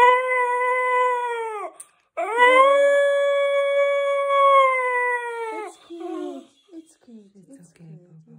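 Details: A male whippet, apparently hallucinating after anaesthetic and narcotics for surgery on an undescended testicle, gives two long, steady, mournful howls, each swelling slightly at the start and dropping away.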